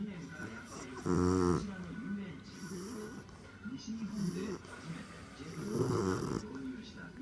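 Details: Sleeping pet bulldog named Boss, who has started snoring lately; two loud rattling snores with softer nasal breathing between them, plus faint background sounds.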